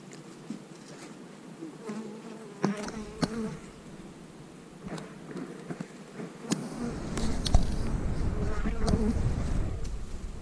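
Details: Honey bee colony being split into new hives in March 2020, with queen cells in the splits; a droning two-layered hum, broken by sharp clicks, with rumbling handling noise growing louder in the second half.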